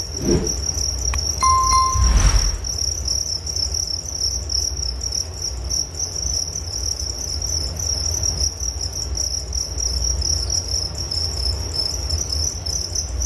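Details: High, rapid cricket chirping runs steadily throughout. Early on a short bell-like chime rings and a soft thump sounds, over a low background rumble.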